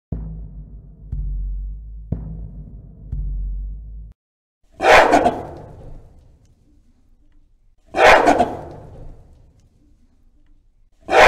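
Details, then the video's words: Gorilla sounds: a low droning rumble for four seconds, then loud, harsh, broadband screaming bursts repeating roughly every three seconds with quiet gaps between. "Gorilla Sounds And Screams"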